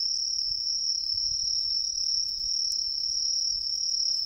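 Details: Tree cricket in an autumn riverside forest, a smooth sustained shrill trill without breaks, with a soft low rumble beneath.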